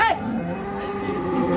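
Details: Cattle at the Malegaon cow market in India, 29 March 2024, with HF heifers in their first lactation on sale: a short, sliding moo opens, then steady low tones under the noisy hum of the market.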